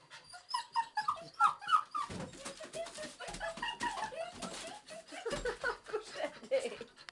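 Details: Rampaging bobtail puppy whimpering and yelping in quick uneven bursts, high squeaky cries over soft lower grunts and panting.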